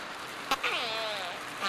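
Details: Springer, an orphaned juvenile orca straying in Puget Sound near Seattle in 2002, repeats a harmonic, wavering call that dips then rises, a Northern Resident dialect call of the A4 pod, revealing her family.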